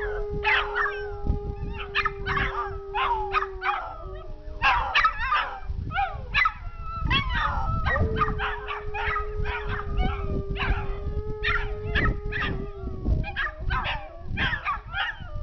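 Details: Alaskan Malamute and Dachshunds howling in response to a passing siren outdoors; a long steady siren tone runs beneath sharp yips, wavering howls and choppy barks repeated in quick bursts throughout.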